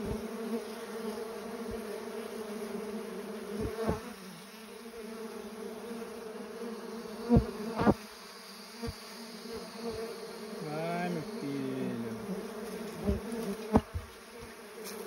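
A continuous low drone of mandaçaia bees hums throughout, with one bee's buzz briefly wavering and dropping in pitch. Scattered sharp taps and knocks sound in the background.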